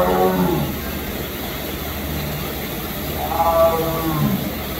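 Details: A Sumatran tiger (Panthera tigris sondaica) at Memphis Zoo gives deep, rough moaning calls, one at the start and another after a pause.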